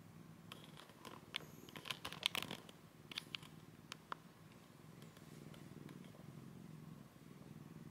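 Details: Two cats sleeping together, a rescued kitten named Komugi taken in from eastern Saitama, Japan, lying beside an older cat for the first time: low steady purring indoors, broken early on by several sharp clicks and rustles.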